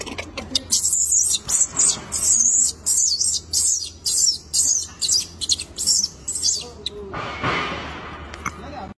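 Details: Baby monkey crying for its mother: shrill, very high squeals in quick pulsed bursts, roughly two to three per second for about seven seconds, ending with a broader, lower wavering cry.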